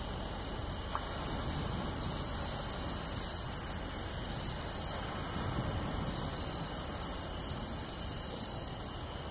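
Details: Many crickets, including matsumushi and suzumushi, trill together in a beachside grassland in Tainai on a summer night (24 August 2020), a steady high ringing chorus with brief chirps repeating above it.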